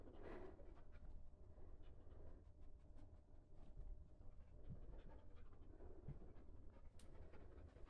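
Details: Border Collie named Loki panting while searching a yard for a hidden toy during an AKC Experienced virtual scent work test, sent off with the command "find toy"; soft, quick, rhythmic breaths, quiet and steady throughout.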